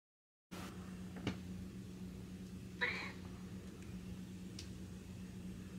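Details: Snowshoe cat during a game of peek-a-boo gives one short, quiet meow near the middle, with a few faint clicks over a steady low electrical hum.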